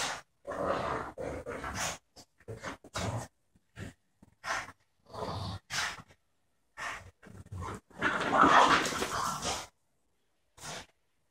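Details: Two dogs at play, a year-old border terrier and a French bulldog around four years old; short broken bursts of growling and snuffling separated by quiet pauses, with one louder rasping burst near the end.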